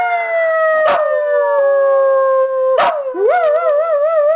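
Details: Domestic dog giving a sustained, drawn-out howl that sags gently in pitch, interrupted by two sharp yelps, then rises into a wavering, quavering tone at the close.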